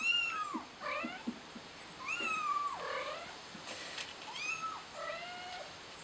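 A scared kitten mews insistently for its mother, each call a thin, rising-then-falling cry. The calls come in quick bursts every second or two, some with a harsher, strained edge.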